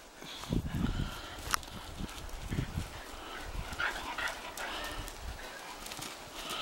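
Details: Two female Shetland Sheepdogs playing rough in a backyard at sunset; scattered short growly vocal bursts and scuffling, with brief higher yips amid rustling movement.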